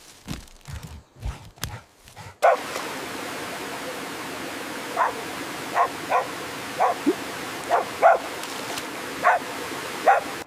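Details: Puppies playing outdoors on green grass; after early low thumps, short yappy barks repeat roughly every half second to second over a steady background hiss.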